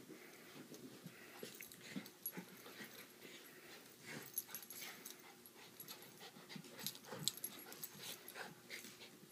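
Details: Playing puppy heard as soft wheezy snorts and huffs mixed with scuffling, rustling bursts across nine seconds, loudest near the middle and end, over a faint steady low hum indoors.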